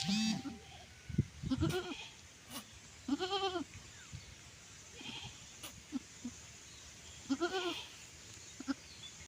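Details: Goat around the time of giving birth: several separate quavering bleats spread over nine seconds, with bursts of human voices and laughter, clicks and handling noises.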